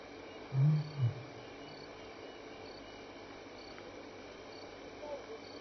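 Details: Lion at Elephant Plains Game Lodge, South Africa, contact calling on a May evening between 6 and 7 PM: two short low grunts in quick succession, followed by steady insect chirping in the dark bush.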